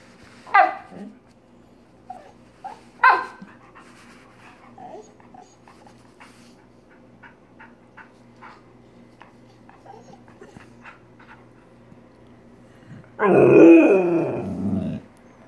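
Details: Siberian Husky Jenna responding to a hand spider: two barks early on, soft scattered clicks, then a long, loud, wavering whine-howl lasting about two seconds near the end.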